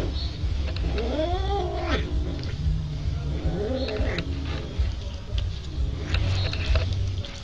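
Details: Domestic cat giving two drawn-out, arching meows, the first near one second and a softer one around four seconds, over a steady low hum and faint background noise.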